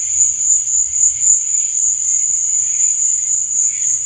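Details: Crickets chirping at night: a dense, steady, very high-pitched trill pulsing rapidly without pause, with fainter lower chirps drifting underneath and a soft low rumble in the background.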